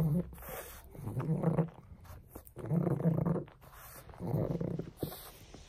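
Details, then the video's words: Pug named Frank busy with a bone: low, throaty growl bursts roughly every one to two seconds, rumbling and snuffly, with brief quiet gaps and faint background voice. "Bone buster Pug!"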